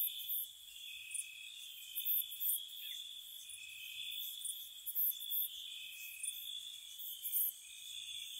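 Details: Night-time spring crickets by a cottage: a constant high ringing trill with short, loud chirp clusters recurring roughly every second, forming a dense insect chorus.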